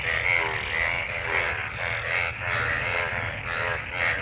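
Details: Chorus of frogs in monsoon rainwater while mating; continuous overlapping pulsed croaks, buzzy and harmonic, swelling and fading in rapid succession.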